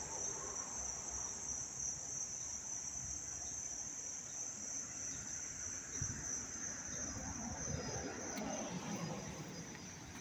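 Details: Crickets chirping up close in Dobbs Ferry, New York, on August 19, 2025: a steady, unbroken high-pitched trill holds at one pitch throughout, with a faint low rumble and scattered rustling underneath.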